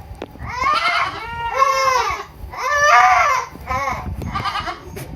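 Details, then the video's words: Baby goats on a farm at Purwokerto, Indonesia, making loud wavering bleats, four harmonic-rich cries each about half a second to a second long, the voice rising and falling, with a little background noise. "Best goat sound in the world 2023 - Goat Makes Weirdest Noises"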